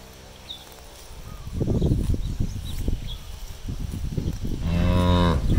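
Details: Cows released onto an empty rice field to graze; low shuffling and munching noises fill most of the recording before a bright, harmonic moo starts near the end and is cut off.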